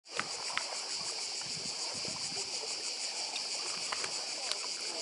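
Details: Chorus of cicadas on Badija island, Croatia, beside the sea: a dense, steady, pulsing buzz held high without a break, with faint lapping water and a few soft clicks underneath.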